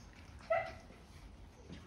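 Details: Seven-week-and-two-day-old Kerry Blue Terrier puppies indoors during a sit-training session; one brief, bright yip rises out of low room hiss midway, with no further calls.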